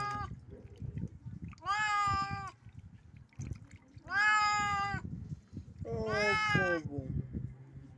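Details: Pet cat after catching a bat, three evenly spaced, strident meows about two seconds apart, each sustained and slightly falling, over a low rustling and thumping background.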